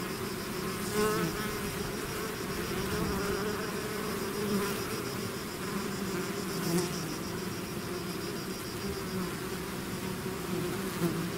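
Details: Honeybee swarm pouring out of its hive, a dense continuous buzz of many wings with a steady low drone and shifting overtones, individual bees flaring louder now and then as they pass close; no other sounds.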